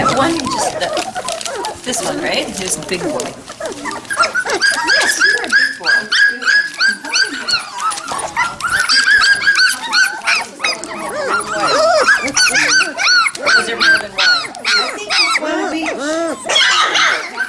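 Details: Three- and five-week-old Standard Poodle puppies near Columbia Falls, Montana, November 2013: a dense chorus of rising-and-falling squeaky whimpers and short yips, nearly nonstop, under steady affectionate human chatter.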